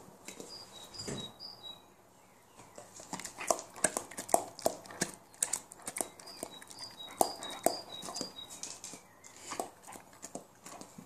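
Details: Leon, a Rhodesian Ridgeback dog indoors, very excited about eating spaghetti: thin, high-pitched whining squeaks in short bursts, mixed with sharp clicking and mouth or chewing noises in a small room.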